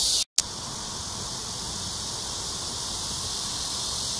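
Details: Early-evening cicadas at Amsa Ecological Park beside the Han River, Seoul, South Korea, on a hot 26 July 2021: the high continuous buzz cuts out briefly near the start, then resumes slightly softer and steady.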